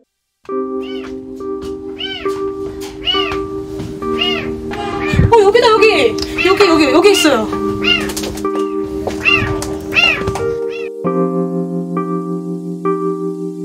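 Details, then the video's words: A kitten trapped inside a dark, narrow pillar in a shopping mall cries as if pleading for rescue: a string of short, high, arching meows with rich overtones, repeated roughly every second. Steady background music and a brief burst of voices and clatter midway. "살려달라는 아기 고양이의 울음소리"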